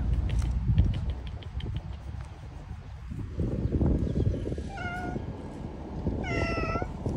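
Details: Homeless street cats living on the street: two clear, tonal meows late in the clip, a shorter one followed by a louder, longer drawn-out meow, over a steady low rumbling background.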